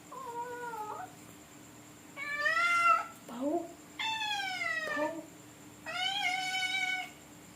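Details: A cat, called wild, going to sniff a toilet, gives four drawn-out meows with rich harmonics, some level, others gently falling, spaced about two seconds apart, with short low squeaky sounds between them in a small indoor space.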